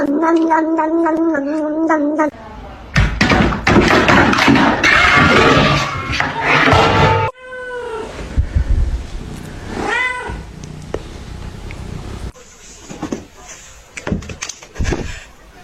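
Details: Kitten meowing and crying: a wavering harmonic tone first, then two short arched meows rising and falling, mixed with music, thumps and speech.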